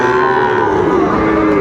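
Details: Short, steady low moo from Sahiwal bull calves at the Raniganj market, Dinajpur, Bangladesh, recorded 2 May 2024, held evenly for under two seconds over a constant background murmur of the crowd.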